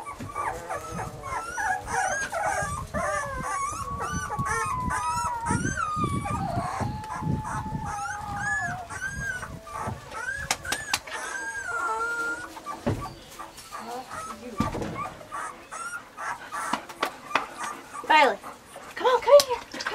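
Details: Weimaraner puppies, Bailey, Hailey and Jenny, in summer: overlapping high, wavering whines and whimpers, several voices at once, through the first twelve seconds, then quieter, with scattered short yelps and sharp knocks toward the end.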